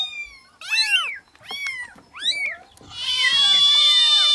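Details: Tiny newborn kittens meowing: three quick, sharply arched mews in a row, followed by a long, steady, high-pitched wail with softer mews beneath it.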